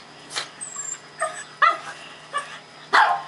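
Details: Pair of senior Japanese Chins just bathed for the first time after leaving a puppy mill; scattered short yips and whimpery barks, about five spaced notes, under a steady low hum.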